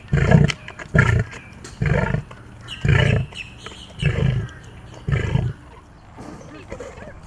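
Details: Captive big cat at a rescue refuge, acting as boss toward people: six deep, low, harsh roaring bursts, each about half a second long, repeated roughly every second, then a quieter pause.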